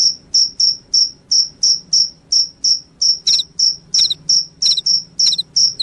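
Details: Cricket chirps, said to chase off rats and make one sleepy: clean, shrill pulses repeated about three times a second, some doubled with a faint extra buzz, against a quiet background.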